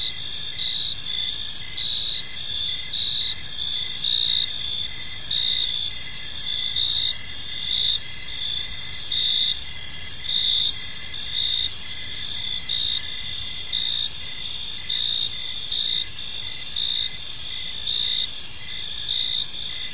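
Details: Gentle chirping of crickets in a peaceful park as evening falls; a shrill, sustained multi-voiced trill with regular pulses about every second over a quiet low background hum.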